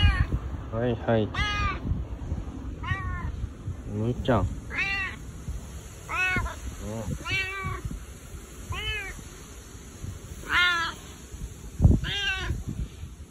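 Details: Bu-chan, a boss domestic cat, meowing in a husky voice while seeking affection, more affectionate than usual with no other cats around; a long run of rising-falling harmonic meows, roughly one every second or so, with faint rustling beneath.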